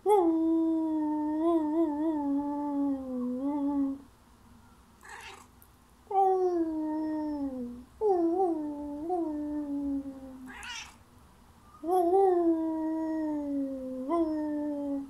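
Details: Thai cat (Felis catus) gives long, drawn-out wavering meows in repeated bouts, eagerly answering howling; recorded May 2019.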